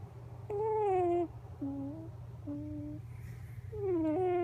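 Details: Coco, a Miniature Pinscher puppy, asleep on a lap with her face buried and nose squashed, making odd snore-like noises on December 8; loud squeaky whistling whines, first falling in pitch, then flat short tones, then a rising-falling squeak, over low background hum.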